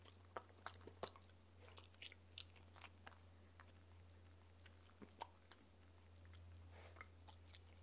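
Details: A 15-week-old Shetland sheepdog puppy drinks goat's milk with sharp, wet clicks and crunches in an irregular series over a steady low hum.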